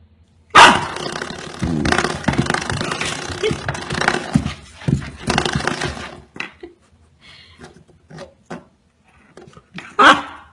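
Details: Excited Golden Retriever puppy barking with all its might: a sharp opening bark, then a stretch of rough, growly barking and yapping, short softer yips, and a final loud bark.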